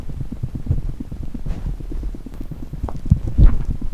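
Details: A pet chipmunk's heartbeat: a fast, steady run of soft, low thumps with a faint rumbling background.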